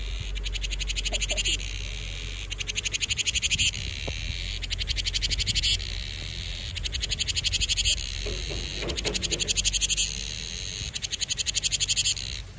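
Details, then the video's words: Cicadas heralding summer with a loud, shrill, finely pulsed buzz delivered in repeated bursts of roughly a second each, pausing briefly between them, over low background rumble and a few faint knocks. "Tiếng ve sầu gọi hè"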